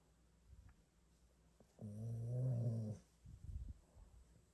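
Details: Labrador Retrievers lying around in a bedroom, one five years old and one six months; a single low, droning, harmonic moan lasting about a second, followed by soft rustling and breathing.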